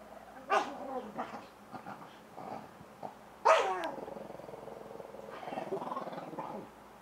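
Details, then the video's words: Shih Tzu in rough play with a man, growling in uneven bursts broken by two sharp loud bark-like yelps, followed by a long stretch of continuous rumbling growl. "SHIH TZU GONE CRAZY!"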